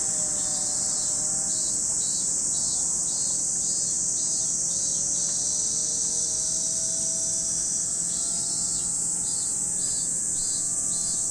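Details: Cicadas at Lake Kamo in Sado City, Niigata Prefecture, Japan, producing a constant shrill high-pitched whine. A lower buzz pulses regularly in short beats, and faint gliding tones drift in the background.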